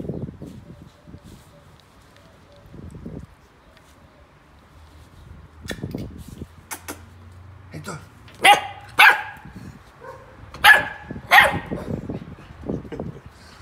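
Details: A Golden Retriever puppy on his first day at home, chewing and destroying a paper towel, gives a few sharp, high yapping barks after quiet murmuring and soft rustling.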